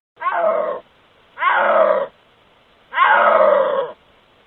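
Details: A wild snow leopard, caught on a trail camera in its natural habitat, gives three drawn-out, moaning yowls, each under a second, with pauses between them, rather than a roar.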